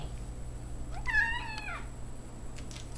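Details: House cat reacting to a new dog met within the last day, having grown up with a yellow lab: one short, rising-then-falling harmonic meow, followed by faint rustling indoors.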